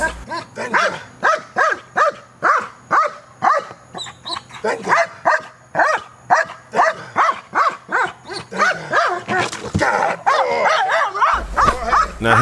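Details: Neros, a dog in KNPV-style training, barking aggressively at a box: a rapid, uneven run of about thirty harsh barks, roughly two or more per second, with a handler's voice breaking in near the end.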